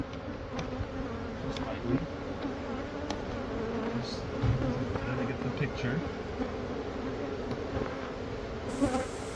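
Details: Honey bees whose hive sat for months in the wall of a Catholic church building in Monrovia, being removed and rehomed. A thick, even buzzing hum holds steady, with a few taps and knocks.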